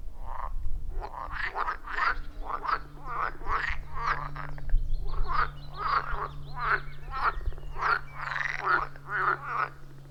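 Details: Dense chorus of wild frogs at a forest pond, recorded using an iPhone 14 Pro and Shure MV88+: rapid, rhythmic croaks packed closely together from many callers, continuous for the whole stretch, with a faint low hum beneath.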